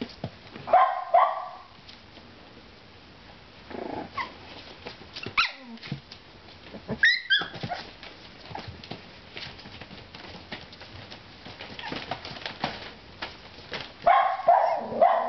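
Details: Four-week-old female Miniature Schnauzer puppies with black-and-white parti-coloured coats give short, high yips and barks in irregular bursts while playing.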